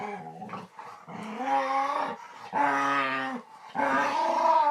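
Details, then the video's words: Domestic dog vocalizing in odd, speech-like sounds: three long, steady, moaning tones, each lasting about a second, with strong harmonics and short quiet gaps between them. "Dog makes weird sounds"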